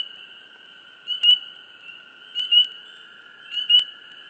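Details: Close swamp frogs give paired high chirps, three double notes spaced a little over a second apart, above a constant shrill background hum.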